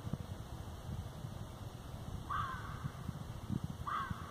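A fox gives two hoarse, drawn-out calls, about a second and a half apart, over low rumble.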